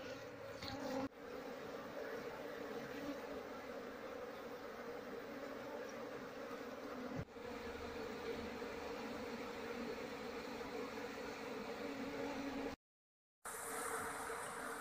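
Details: Asian honey bee (Apis cerana) colony nesting in a hollow log, disturbed while being moved after its combs were removed: a steady, dense humming drone with low tonal bands, two brief knocks and a short break near the end.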